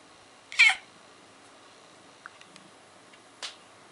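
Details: A Siamese cat's morning voice: one short, high, strained meow, followed by faint clicks and a soft scratchy noise.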